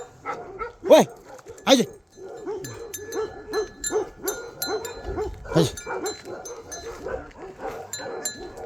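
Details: Bhote Kukur, a Himalayan sheepdog, in Nepal: two sharp, loud barks close together early on, then a third later, while a man keeps talking to the dog in Nepali throughout.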